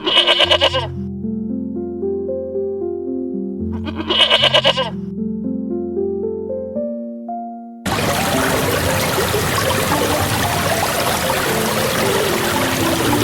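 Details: Goat bleating twice, each a short wavering cry about four seconds apart, over background music, then a loud stretch of broad noise.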